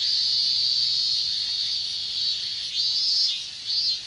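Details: Japanese summer cicada chorus of minmin cicadas in hot weather: a loud steady high buzz, then two short swelling bursts rising above the drone toward the end.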